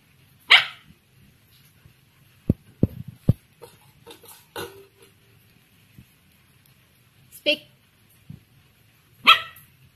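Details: Female Samoyed puppy, nine weeks old, from Bandung, Indonesia, barking on the command "speak" during basic training; four short, sharp barks spaced over ten seconds, with soft clicks, taps and light handling noise between them.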